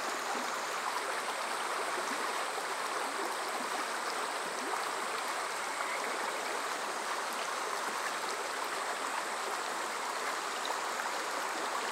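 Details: A steady, dense rush of flowing stream water fills the whole range, recorded on a summer night at Yokoze in Chichibu, Saitama, Japan, with no distinct animal calls standing out.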